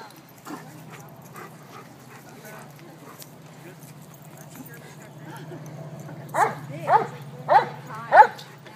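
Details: Red Doberman puppy play fighting at the High Park dog park in Toronto: after a long stretch of low steady hum, four sharp, loud barks arrive near the end, spaced roughly 0.6 seconds apart.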